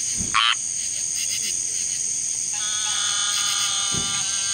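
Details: Squirrel treefrogs, prompted by summer thunderstorms to call in large choruses, give raspy, nasal, buzzing calls over a steady high insect drone.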